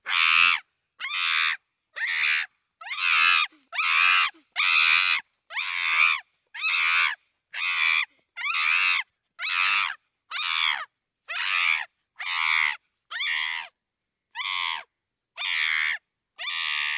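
A chimpanzee gives harsh, high screams in a steady series, about one per second.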